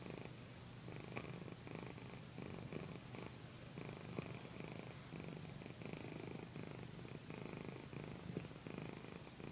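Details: Domestic cat Pandy, a female house cat, purring loudly while being massaged on a satin pillow; a steady low rumbling purr runs unbroken through the whole stretch, with soft pulsing and faint rustling of fabric.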